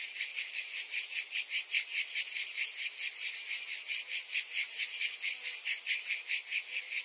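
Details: Cicada chorus in summer heat, a harsh, shimmering drone broken into quick rhythmic pulses, around two and a half per second, holding an even loudness throughout.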